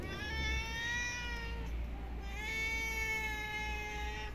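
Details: Street-living female stray cat, having run up and climbed into someone's lap, utters two long, sustained meows, each held over a second and slightly falling at the end, against a constant low background hum.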